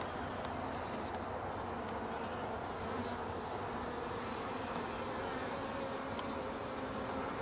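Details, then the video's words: Honeybees, mildly agitated just after a hive inspection, make a steady dense buzzing hum that holds level throughout, with faint higher flecks of sound above it. "Some mild agitation"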